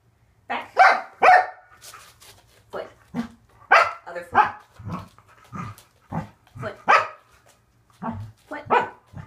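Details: Corgi Waffle, working through a training session on fitness equipment, lets out a rapid series of clear, punchy barks, roughly a dozen in nine seconds, with brief praise of good job.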